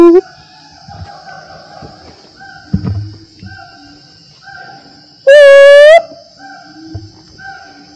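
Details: Black-and-white gibbons, unseen in the trees on hot, humid Mount Rajabasa in Lampung, Sumatra, Indonesia; a gibbon gives a loud, rising whoop over a constant high insect drone.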